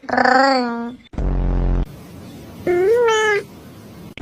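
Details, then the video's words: Domestic cat producing funny vocalisations: a steady nasal meow, then a short buzzy low-pitched burst, then a second meow that rises and holds before ending, with faint background noise between calls. "Cat funny sound shorts"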